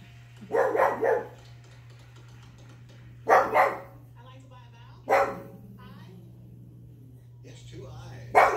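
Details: One-year-old pug barking at the TV show Wheel of Fortune: short, harsh barks in single bursts and pairs, spaced two to three seconds apart, over a steady low hum with faint TV voices between barks.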